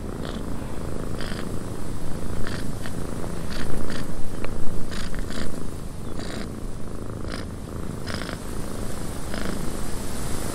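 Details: Cat purring in a windy cabin, low rumbling purr with frequent short breathy bursts at uneven intervals, loudest near the middle, steady wind noise throughout.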